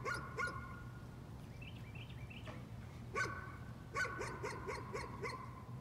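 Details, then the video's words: Nuisance barking from a dog: scattered short barks early on, then a quicker run of sharp yaps in the last two seconds, over a steady low electrical hum with faint rising chirpy tones midway. "Nuisance barking again."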